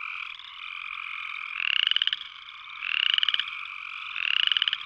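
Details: Upland chorus frog giving three short, raspy, pulsed trills that sweep upward. They come roughly every 1.3 seconds over a steady high-pitched chorus hum of other frogs.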